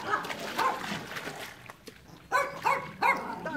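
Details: One of the pet dogs Enzo and Ozzy gives short, harmonic barks in uneven bursts, a pair early on and two more near the end, with quieter rustling between them.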